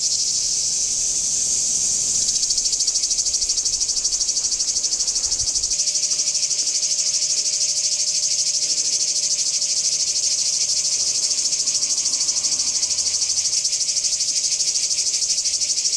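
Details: Singing cicadas at Kardamyli in 2013: a dense, unbroken shrill buzz, throbbing quickly about three times per second, with a faint steady low tone joining after six seconds.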